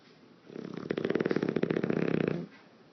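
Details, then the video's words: A male English Bulldog snores in his sleep with a rapid, fluttering rattle, his loose lips flapping in the wind on each breath; no sound effects were added, and he makes this noise for hours daily. "MannyDog the English Bulldog Lip Flappying Snoring in the Wind"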